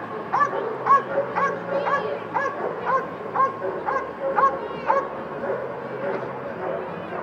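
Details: Dog at a Dock Dogs jumping event in Phoenix, Arizona, barking repeatedly in short sharp yips about twice a second, steady excited rhythm, with crowd noise and voices in the background.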